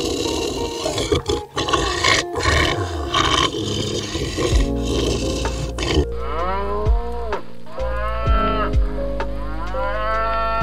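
A buffalo lows in deep, drawn-out moos, rough and noisy at first, then smoother and rising and falling, with a steady hum behind.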